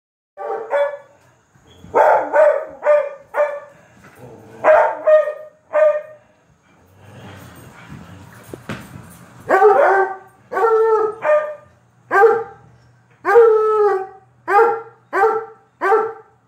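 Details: While watching a video on Sept. 24, 2022, a Treeing Walker Coonhound gives loud, ringing barks in quick bursts, some drawn out into short bays.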